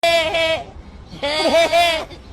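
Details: Goat giving two drawn-out, strongly harmonic, human-like bleats, each about half a second long, separated by a short pause. The second call wavers and dips in pitch midway.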